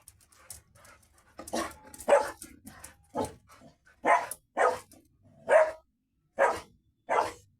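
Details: Labrador Retriever, filmed alongside a Golden Retriever, giving short sharp barks at irregular spacing, about eight loud ones spread over several seconds, with softer huffs and panting-like noises between them early on.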